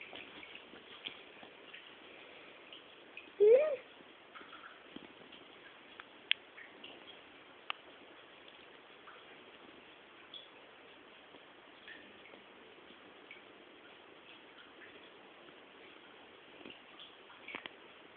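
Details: Medea, a cat lying rolled up on a sheep-carpet, gives one short rising meow about three and a half seconds in. Soft rustling and scattered faint clicks fill the rest of the quiet indoor recording.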